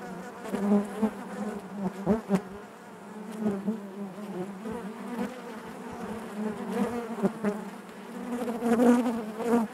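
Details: Steady hive buzz from a mass of honey bees, a low warm drone with shimmering harmonics, pulsing louder now and then, plus occasional sharp ticks as bees move about inside.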